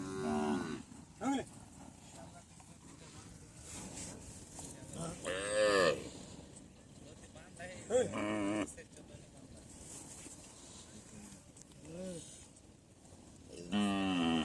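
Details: Native deshi cattle on a Padma river char near the India–Bangladesh border, a rural livestock trading area: several drawn-out, harmonically rich moos rise and fall around the middle and again near the end, with people's voices and background bustle between them.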